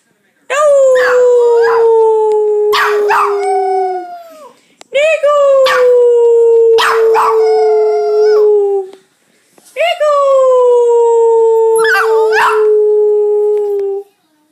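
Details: Puppy aged eight weeks giving three long howls in a row, each lasting about four seconds, opening with a quick upward swoop then gliding gently downward, with short breaths between and no other sounds.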